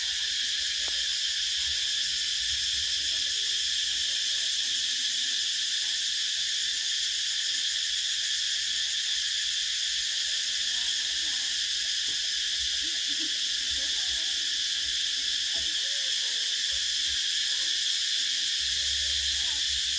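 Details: Summer cicadas singing together in an unbroken, piercing high buzz, level and constant for the whole stretch, with only faint low rumbles in the background.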